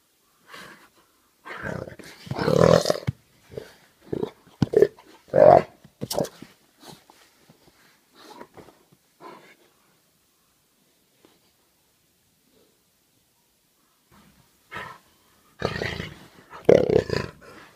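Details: Several jaguars (Panthera onca) in playful combat; short bursts of rough growling and snarling come in clusters during the first six seconds, then near silence, then loud growls again near the end.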